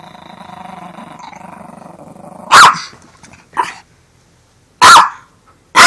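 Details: Pet dog Armani guarding his Beneful dog food bag: a low, rumbling, steady growl for over two seconds, then three sharp, explosive barks spaced about a second or more apart.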